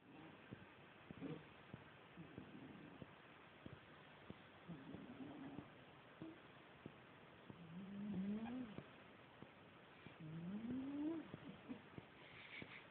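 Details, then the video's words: Mira, an old female cat, snores while asleep: low, rough, droning breaths rising slightly in pitch, about three drawn-out snores spread over the recording, with small clicks and a faint background hiss. "Kissa kuorsaa -Cat snores"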